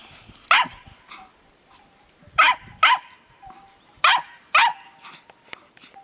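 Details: A Finnish Lapdog puppy and an older Landseer bitch show their love: five loud, sharp, separate barks spaced roughly a second apart, over a faint steady tone and quiet background.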